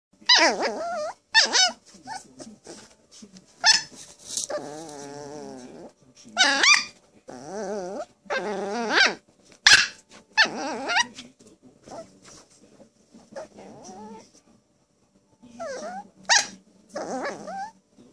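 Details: A poodle crying indoors: bursts of wavering, quavering high whines and yelps, some sliding up and down, separated by short pauses, with occasional rough growl-like breaths.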